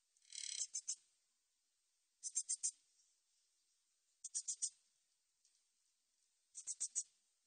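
A meadow katydid sings high, dry buzzy bursts of quick ticks, repeated about every two seconds.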